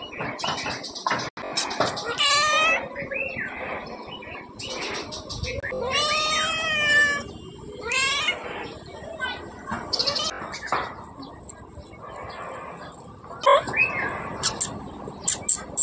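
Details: Cat giving several loud, drawn-out meows with rich harmonics, some rising then falling, spaced a few seconds apart, with short clicks and human speech in between.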